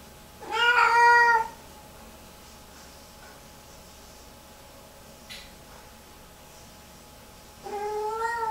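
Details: Female Lynx Point Siamese cat indoors, distressed hours after a bath, repeatedly walking into the bathroom: a loud drawn-out wailing meow near the start, a faint click midway, then a second rising-falling meow at the end.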